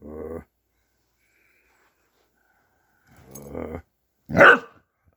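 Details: Pet dog growing vocal during play indoors: a short gruff growl-bark, a pause of nearly three seconds, then a longer rumbling growl and a sharp higher bark burst.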